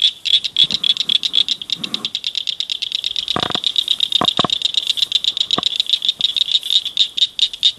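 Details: Frogs calling at night inside a culvert by a ditch, several together; fast high pulsed chirps run on without pause, with a few sharp clicks and knocks breaking in partway through.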